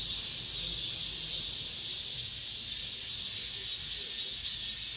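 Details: Last cicada chorus of the summer in an apartment complex, heard as a thick, piercing wall of high buzzing that pulses softly in steady waves, with a faint low rumble beneath.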